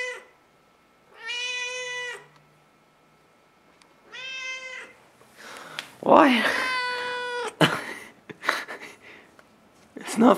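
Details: Very loud house cat pacing the hallway in the morning, giving long, steady, drawn-out meows every few seconds, with a person talking over the later calls indoors.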